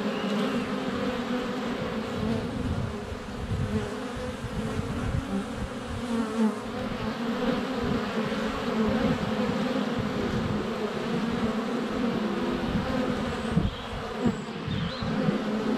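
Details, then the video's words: Honey bees crowding the hive entrance on a sunny February day, recorded by a GoPro Hero 7 Black within a foot; sustained layered humming that swells and dips, a few soft knocks of bees landing, faint birdsong near the end. "Honey Bees - ambient video and audio"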